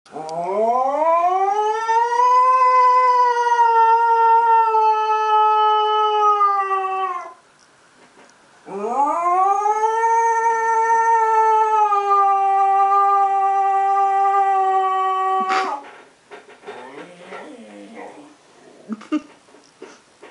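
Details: Male rescue saluki howling in imitation of a passing police car or fire engine siren: two long harmonic howls of about seven seconds each, rising at the start and then holding steady, with a short pause between and quieter noises afterward.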